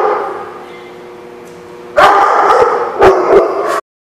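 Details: Dog at The Barking Lot, 27 May 2016: a thin, drawn-out whine fades for two seconds, then a burst of four or five loud, harsh barks over continued yelping before the sound cuts off abruptly.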